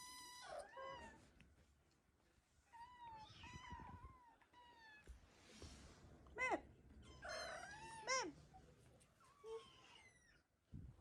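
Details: Indoor Ragdoll kittens, first litter of their mother, calling for breakfast as it is delayed: a mix of short sharp mews and longer falling meows, some overlapping, with occasional handling noise and quiet background.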